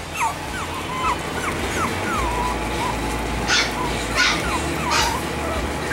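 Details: Chihuahua puppies for sale in Pennsylvania give thin, wavering whimpers at a steady pace, about one every second, over a constant background hiss, with a few brief broadband scuffling bursts near the end.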